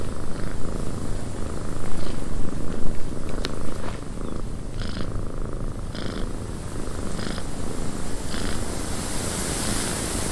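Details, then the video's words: Cat purring in a cabin as wind blows outside: a low pulsing rumble that rises and eases over several seconds, with steady wind noise, short gusts and one sharp click. "Cat Purring in a Windy Cabin 8 Hours of Blissful Purring"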